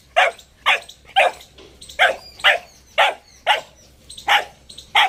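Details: Boxer puppy making an odd vocal sound: a steady series of short, sharp yelping bursts, about ten in five seconds, spaced roughly half a second apart, with a quiet background.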